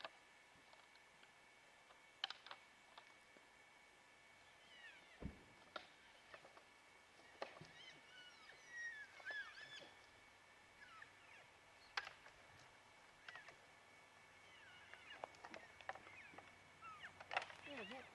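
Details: Bull elk wrestling during the rut, antlers clanging, with bugling heard: faint whistled tones sweep up and down amid sharp repeated clacks, scattered knocks and rustling outdoors.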